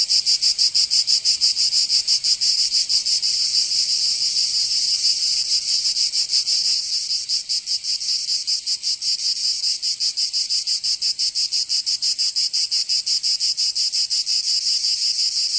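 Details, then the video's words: Provençal cicadas in summer, southern France, fill the air with a loud, sizzling high buzz of rapid, close-packed throbs. The sound dips slightly in volume midway, then carries on evenly. "Canto Cigarra 🦗 [ Escuchar les cigarras en verano 10 H]"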